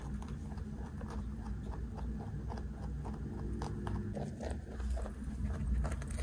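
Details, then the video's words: Big pet rabbit weighing 3.2 kg being fed snacks and munching them. Rapid dry crunches come in quick bursts, with a slight pause near the middle, over constant low-pitched background hum. "까까 받아먹는 3.2kg 왕토끼 ASMR"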